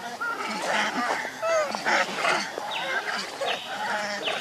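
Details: Baby monkey Leo, hungry and missing its mother, crying for milk: short tonal squeals and falling whines repeat rapidly amid a busy chorus of other overlapping monkey chatter.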